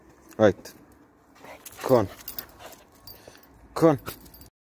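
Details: Patterdale Terrier cross smelling a rat hidden under club decking and eager to kill it: three sharp, harmonic barks spaced about one and a half to two seconds apart, with a man's voice urging it on between them.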